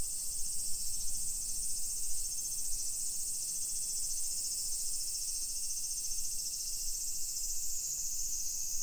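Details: A dense summer chorus of cicadas makes a steady, shrill, high-pitched hiss over low background rumble, recorded at 1 PM on 28 July 2021 in a modern hillside residential suburb of Nisshin city near Nagoya, Aichi, Japan.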